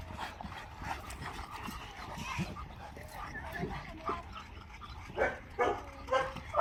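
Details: Boerboel dog barking four times in quick succession near the end, each a short, harmonic burst, after a stretch of low background noise and faint talking.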